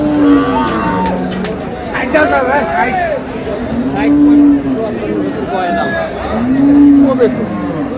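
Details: Cows with calves at Ambari Haat cattle market in Dinajpur, July 3, 2026: three low, drawn-out moos, each slightly arched in pitch, near the start, middle and end. Men bargain and talk throughout amid general market noise.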